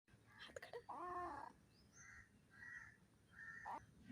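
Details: A pet cat yawning: one voiced, squeaky yawn lasting about half a second that arcs up and then down, followed by several harsh calls from birds in the background.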